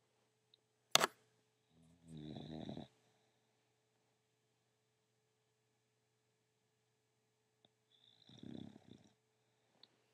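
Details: English Bulldog snoring indoors: two rattling, rough breaths about six seconds apart, each lasting about a second, with a faint steady hum and a sharp click near the start.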